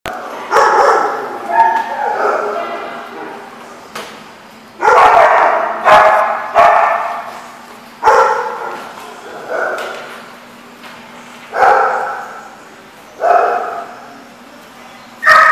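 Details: Dogs barking in a lot; loud bursts of barking roughly every one to two seconds, each fading with echo, over a steady low hum.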